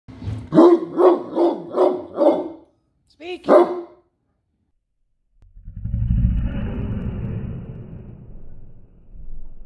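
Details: A Great Dane gives a run of deep, booming barks, shown in slow motion, then a low rumbling noise follows.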